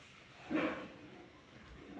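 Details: Labrador Retriever in the morning giving one short, sharp bark, a brief mid-pitched burst with a full harmonic stack. Telugu speech is heard before and after against a low background hum.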